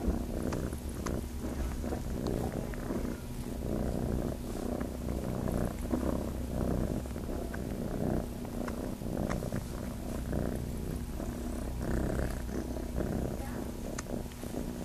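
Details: Long, even low purr from a kitten seeking to nurse on a farm, rhythmic rumbling without pause, light rustles in the background.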